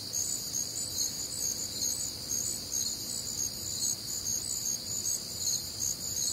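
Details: On a humid Midwestern summer night, crickets give bright, high pulsed chirps a little over twice each second, layered over an unbroken shrill trilling chorus of nocturnal insects.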